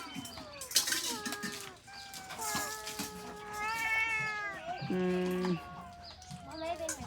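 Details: Abandoned cats, several together, meowing in a chorus of overlapping wails that rise and fall, many calls crowding over one another, while people talk in Khmer in the background.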